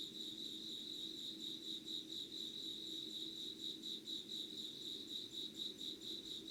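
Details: Dawn insect calls from Yugawara, Kanagawa, Japan, 25 August 2019 at 05:00: a high pulsing chirp repeated roughly twice per second in a regular beat, over a continuous background drone.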